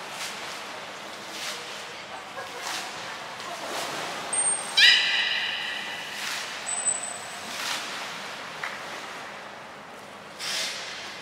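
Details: Beluga training session with Gray, Nana and Mirai at Port of Nagoya Public Aquarium, Japan, on 7 June 2022: one short, bright, harmonic whistled call near the middle over a steady hall murmur, with faint high chirps before and after.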